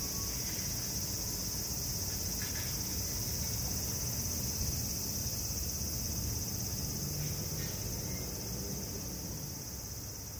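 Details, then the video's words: Lively cicadas calling in summer among assorted city sounds, a continuous high buzzing hiss holding steady throughout, over a low rumbling background with faint brief clicks. "夏の風物詩 蝉の鳴き声"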